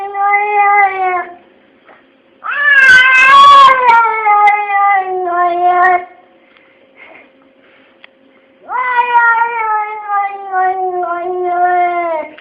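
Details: Two pet cats 'talking': three long, drawn-out meows with rich harmonics. Each slides slowly downward in pitch and is separated by quiet gaps, and the middle one is loudest and slightly strained.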